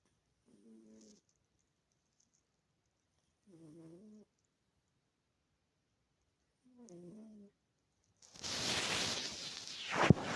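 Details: Sleeping domestic cat snoring softly indoors: three short, low, nasal breaths spaced about three seconds apart, followed by a sudden burst of loud rustling or handling noise near the end.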